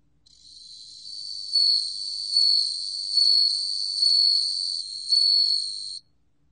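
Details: Bell cricket song from Korea's National Institute of Biological Resources, 2020: a continuous high, pure ringing trill that swells in loudness about every 0.85 seconds, five bell-like pulses, then stops abruptly; no other sounds.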